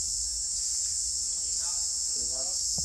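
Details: Cicada singing in rural Roi Et or Yasothon, Thailand, where villagers find cicadas by their sound and catch them with a sticky-tipped stick; a steady, unbroken high-pitched buzz fills the clip, with faint speech underneath.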